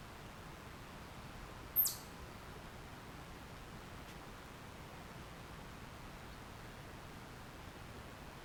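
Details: Wild red squirrel named Red in the forest beside a house on June 12, 2025, giving a short alarm shriek, probably after seeing a fox again: a single very high, sharp shriek sweeping downward, over steady low background hiss.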